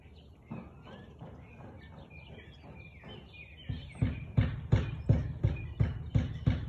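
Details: Siberian Husky on 13 March 2021 at 4:17 pm; soft bird twittering opens, then from about four seconds a steady series of eight loud, low barks repeats at a brisk, even pace.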